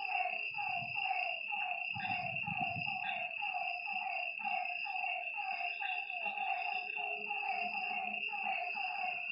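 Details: A night frog chorus by a lake: repeated, evenly spaced croaks stacked in several voices over a sustained high shrill drone. There is a brief low rumbling burst near the start.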